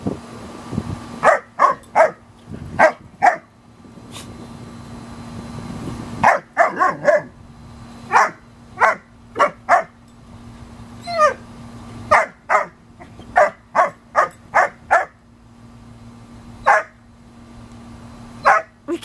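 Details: German Shepherd Dog puppy Cooper, five months old, playing with Kayu, an American Eskimo Dog: short sharp barks and yips in irregular bursts, some in quick pairs, over a steady low hum and faint rustling.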